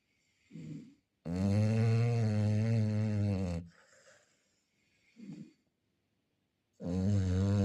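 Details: Chow Chow snoring: long, loud, deep droning snores lasting about two seconds, with soft short breaths between them, heard indoors.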